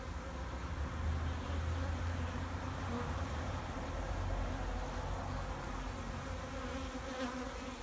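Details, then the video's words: Honeybees overwintering in a backyard hive, Vancouver, BC, March 2, 2019, 2:30 in the afternoon, full sun, 8 degrees, very active while raw sugar is added; continuous deep buzzing hum with faint higher rustles. "Wintering Bees"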